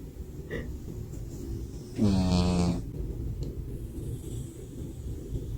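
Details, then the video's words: A sleeping cat snoring, compared to a human's snore: one long, loud, rumbling breath lasting under a second, with a faint shorter snort before it and quiet room noise around. "A cat that snores like a human"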